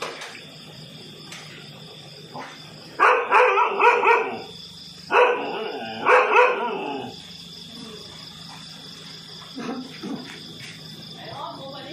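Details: Two domestic dogs confront a cobra that slithered into a house in Nathawee District, Songkhla, Thailand, caught on CCTV: two loud clusters of rapid, harsh barks mid-clip, then quieter scattered sounds over a steady electronic hum.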